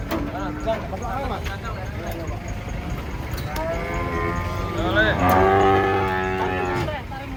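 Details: Huge, aggressive cattle come down off a truck. Quiet murmurs build into several overlapping moos, with a strong bellow rising and then holding steady near the end. Vehicle noise and faint voices sit underneath.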